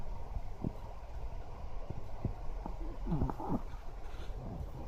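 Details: Choro, a smooth-coated Chihuahua, snores while sleeping and occasionally mutters 'wow wow' in its sleep as if dreaming. Low, breathy snore pulses with one brief whimpering yelp near the middle.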